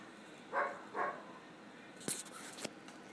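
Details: German Shepherd puppy barking indoors at a motionless cat through a patio door: two sharp, mid-pitched barks about half a second apart, followed by a couple of short clicks and knocks.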